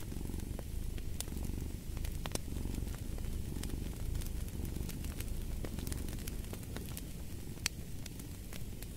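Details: Low, even purr from a cat, the breathing rhythm only faintly marked, beneath frequent crisp crackling from a wood fire.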